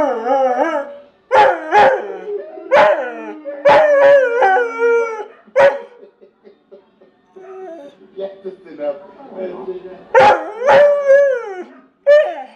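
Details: ['Pet dog howling along while watching other dogs sing. Bursts of yipping howls with wavering harmonic tones, a quieter stretch with soft murmuring human speech, then renewed yelping howls.']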